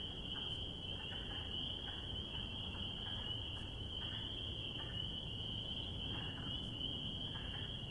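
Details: Spring peepers calling in spring: a dense chorus of high, shrill peeps that blend into one steady ringing band, with fainter short calls beneath and a constant low rumble of background noise.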